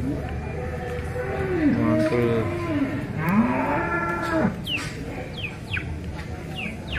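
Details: Limousin cattle at Grabag market on 25 April 2022, lowing in long, wavering, deep moos with rich harmonics that rise and fall twice, followed by several sharp descending high chirps over a steady crowd murmur.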